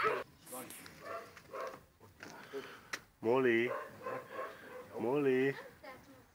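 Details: Molly, a pet husky, gives two short wavering, yodel-like cries, each about half a second long, between stretches of people talking indoors.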